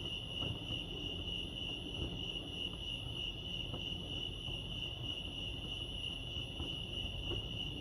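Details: Crickets at Lake Arrowhead, California, sustain an unbroken shrill trill, with faint higher overtones and a quiet low rumble underneath.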